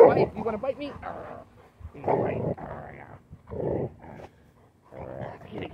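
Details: Bella, a female Rottweiler worried by a dirty Gatorade bottle, gives deep, gruff barks and growly woofs in short bursts while a person talks.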